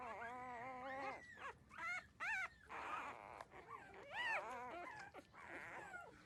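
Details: Puppies at thirteen days old nursing on their mother; loud wavering whimpers and short sharp squeals in bursts, separated by brief quiet gaps and snuffling.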